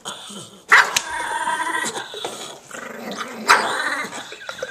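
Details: A dog said to sound like Chewbacca makes rough, groaning growls with harsh bark-like bursts near the start and again toward the end. A person speaks nearby.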